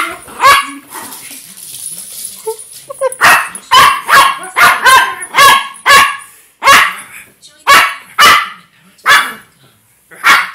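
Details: A dog named Sheldon barking repeatedly in sharp, bright bursts, roughly every half second to second, with brief pauses between volleys and a faint voice early on.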